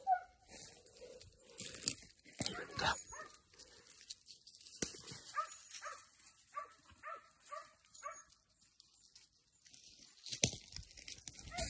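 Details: Young Podenco hounds out for a training session: a run of about eight short, clipped yelping barks, roughly two per second, amid rustling vegetation, footsteps and brief scuffling noises.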